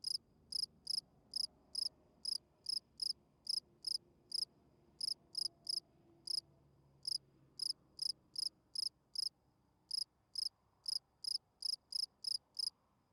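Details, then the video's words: Night-singing field cricket giving its calling song meant to attract females: crisp pulsed chirps repeated roughly twice a second, a few short gaps between runs, backdrop otherwise still. "Night Cricket Singing Sounds. Field Cricket chirping"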